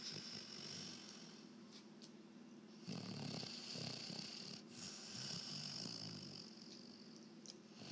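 A sleeping Weimaraner gives a continuous low, buzzy snore, a soft rattling rumble that swells and eases with each breath. A faint high hiss runs in the background.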